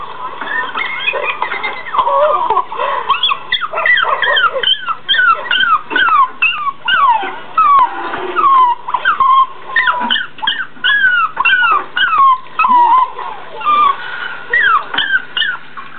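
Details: A Jack Russell Terrier watching another Jack Russell on a computer screen whines in a rapid string of high, sliding whimpers, as if puzzling how the dog fits inside.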